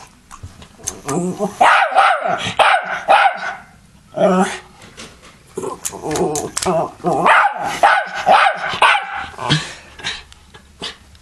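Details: Pet dog barking and lunging at an M&M fan, rapid harsh barks in irregular bursts with brief growls, mixed with people talking and background music.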